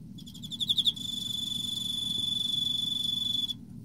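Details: Single chirp from an Emma field cricket in autumn: about eight fast, high pulses swelling in volume, then a sustained, even high-pitched tone lasting over two seconds before stopping.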